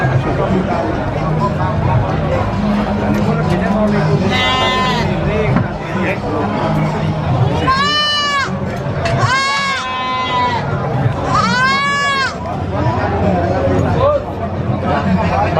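A young goat gives loud, high, arching bleats about a second long, over a steady background of voices.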